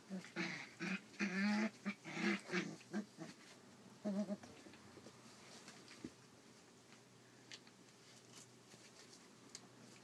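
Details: Collie puppies, 34 days old, filmed on 29 July 2012: a burst of squeaky whining yelps in the first three seconds, with one more short cry near four seconds, then quiet room noise with faint taps.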